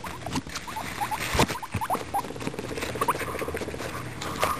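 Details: Pet guinea pigs eating a carrot: a string of short, rising squeaks, several within the first second and more later, over steady crunching and rustling as they chew.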